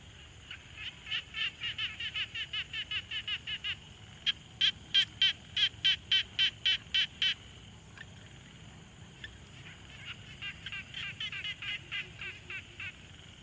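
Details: Several frogs at a quiet pond, captured with a Tascam Portacapture X6: one quick rattling series of pulsed notes gives way to louder, sharper regular clicks at about three per second, then softer overlapping call runs resume.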